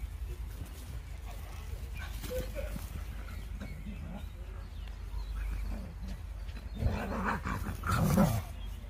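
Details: Dog encounter outdoors between a Dobermann named Jeff and a Fox Terrier; a low wind rumble gives way to harsh, loud bark-like bursts with growly low harmonics near the end, with rustling movement around them.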